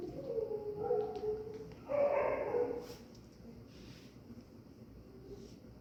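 Dogs give drawn-out, wavering tonal howls, the loudest rising strongly and then fading away.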